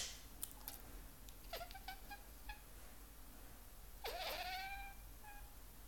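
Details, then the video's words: Male house cat meowing in complaint at a sneeze that disturbs its rest, indoors: two drawn-out meows, each sliding down then holding steady, about two and a half seconds apart, with brief clicks and rustles between. "Katze sagt Gesundheit/ meckert beim Niesen - My cat hates sneezing"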